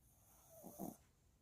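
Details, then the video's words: Maltipoo puppy snoring while asleep after a walk: one soft, low breathy snore swelling briefly near the middle, otherwise quiet room hush. "산책 후 코고는 댕댕이"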